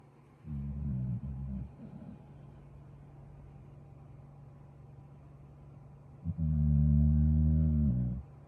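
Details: Relaxing pit bull mix, a staffy type, snoring while resting; two low, rumbling snores with steady harmonic tone, the second longer and louder, separated by a quiet stretch with a faint steady hum behind.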